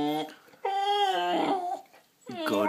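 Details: A 7-month-old bulldog indoors, told to go to bed, answers with a drawn-out, wavering, harmonic moan of about a second. A shorter rising howl follows after a pause, with a person's voice nearby.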